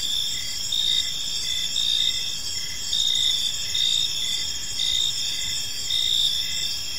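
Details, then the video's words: Crickets chirping during the evening in a peaceful park: steady high-pitched trilling bands layered with short pulsed chirps, repeated several times per second, and the loudness swells about once a second, over a soft low background hum. "Park Serenade: Cricket Sounds in a Peaceful Park"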